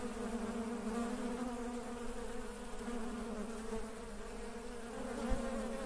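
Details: Honey bees at work produce a continuous low hum, even and unbroken, with stacked harmonic tones and one short knock near the end.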